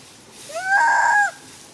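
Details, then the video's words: Handa, a mother monkey whose baby Handy was snatched by a young monkey, cries out: one loud, tonal wail that rises at the start, holds level for about half a second, then drops away. "Handa Crying So Loudly"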